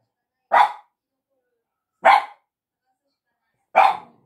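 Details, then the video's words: Dog barking at a woman; three loud sharp barks about one and a half seconds apart, silence between them. "吠えられる彩羽さん Barking"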